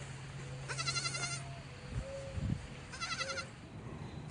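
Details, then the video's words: Baby goat on a farm giving two high, wavering bleats, each with a quick tremolo, the first lasting about two-thirds of a second, the second shorter, over a low steady hum and soft background rustling. "Baby Goat Sound"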